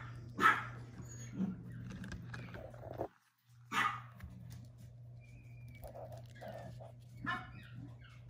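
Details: Puppy recorded on 10 March letting out a few isolated high yaps spaced several seconds apart, with soft shuffling, faint murmuring and a constant low electrical hum between them.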